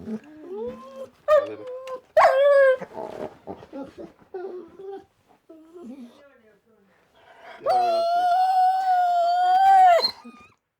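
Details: Dog whimpering and yelping in short broken bursts at first, then, after a brief pause, letting out a sustained, steady, tonal howl lasting over two seconds before cutting off; indoors with little background sound.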